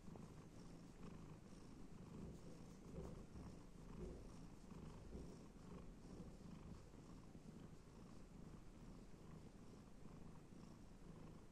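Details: Domestic cat purring as it is petted and scratched, a constant low buzzing rumble with gentle rhythmic pulses and a few brief soft touches.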